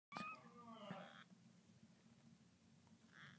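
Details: Two-week-old kittens of the mother cat Codie, eyes just opened, living indoors in a closet with her. A couple of brief, thin, high-pitched mews at the start, then a quiet indoor room hum.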